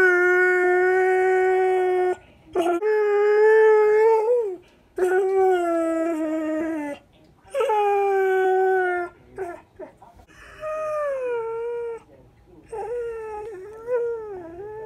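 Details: Four-year-old male borzoi talking and howling along with its owner in the morning; a series of sustained tonal howls about two seconds each, wavering and bending in pitch, separated by short pauses, later ones softer.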